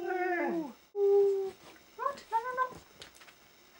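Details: Five-year-old female Siberian Husky indoors, "speaking" on command: a falling whiny howl, a steady held note, then several short rising-falling yowls, with a person's voice nearby.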